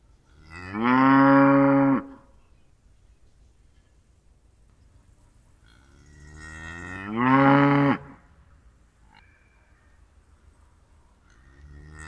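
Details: Two drawn-out moos from a cow, each about a second long and separated by roughly five seconds of quiet, the second rising in pitch before breaking off.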